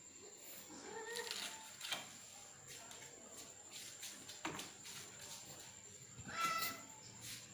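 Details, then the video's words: Male cat trying to mate with a female by force, giving a few faint, drawn-out wavering yowls amid background hiss and a steady high electronic whine. "Male Cat Wants to be with the female Cat by Force"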